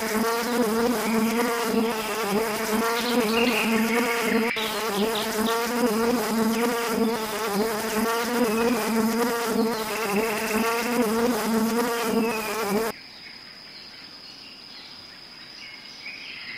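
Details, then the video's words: Bee buzzing as a dense, wavering low drone for about thirteen seconds, then it cuts abruptly to a quieter, different background. "Beautiful exotic animals: Beaver Snail bee horse llama Animal Sounds"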